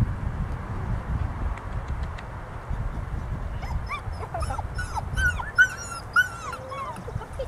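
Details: Golden Retriever mix puppy, described as joyful, giving a run of high, squeaky whimpers and yips with rising and falling pitch, clustered in the second half, over low rumbling background noise.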